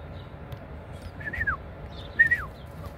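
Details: Kangal puppy recorded on 20 March 2024 gives two short, high whines about a second apart, each sliding downward in pitch, over a low steady background rumble.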